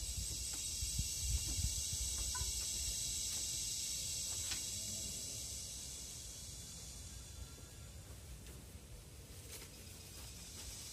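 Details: Philippine cicada, called kuliglig, singing in forest: a continuous bright, high-pitched buzzing hiss holding steady, slowly softening toward the end, with a few faint clicks behind.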